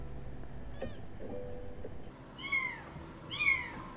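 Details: Mother domestic cat crying from a rooftop for her kitten trapped in a pillar, as if signalling passers-by for help; after faint low noise, two drawn-out meows, each rising briefly then sliding down, about a second apart.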